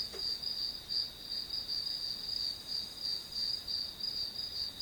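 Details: Chorus-like chirping of grass insects as white noise for studying, high and pulsing in regular swells about three times a second, with soft background hiss.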